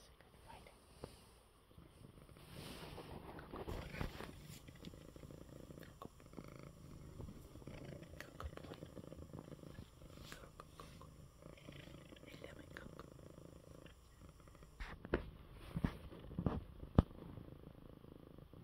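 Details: Male pet cat, unwell, purring while resting in his bed after eating well; a steady low rumbling purr runs throughout, with a few soft clicks and handling noises near the end.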